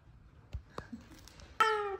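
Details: F2 Savannah cat indoors, greeting its owner just home from work; a single short, falling meow with bright harmonics near the end, after a few faint taps and clicks in a quiet room.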